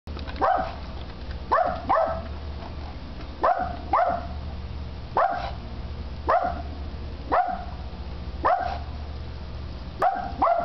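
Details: Gordy, one little dog, barking at Independence Day fireworks: sharp barks, often doubled, repeating roughly every one to two seconds over a steady low hum, with no fireworks clearly heard.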